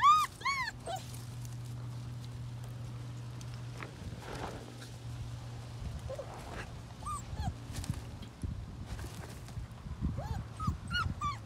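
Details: During play with Togo, a female Doberman puppy lets out a burst of high whining yips, then scattered single whimpers among soft rustling and low hum.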